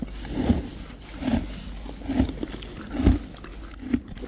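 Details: Friesian horses and foals chewing hay in a stable, a soft crunching grind with louder bites at a fairly steady rhythm, roughly one every 0.8 seconds.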